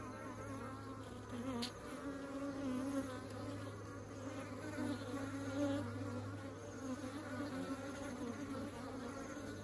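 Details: Many honeybees bringing honey into the beehive, a continuous droning buzz that swells and fades as bees pass close, over a constant low hum, with a brief click near the two-second mark.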